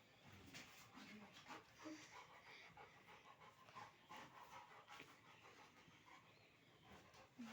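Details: Labrador Retriever panting while playing, quick rough breathy huffs repeated nearly three times a second, uneven in rhythm, with faint voices in the room.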